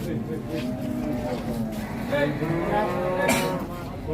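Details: Giant Pegon cattle at a busy cattle market: drawn-out, harmonic lowing rises and falls over a steady background murmur of crowd voices and chatter.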